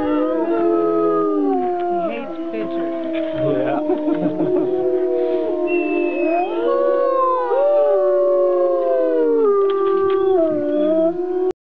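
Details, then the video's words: Several gray wolves at Wolf Mountain on 14 February 2009 howl together in overlapping, long, wavering tones that slide up and down. "Howling Wolves"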